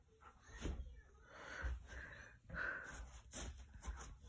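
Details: Saint Bernard puppy playing tug of war, giving short, tonal, growly whines in two main bursts near the middle, over low thumps, tugging and rustling from the play.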